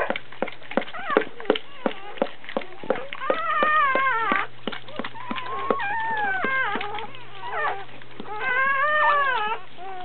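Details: Dobermann giving birth, puppy being born: loud, drawn-out wavering squeals and whines, rising and falling in pitch, mixed with frequent sharp tapping clicks and a low hum.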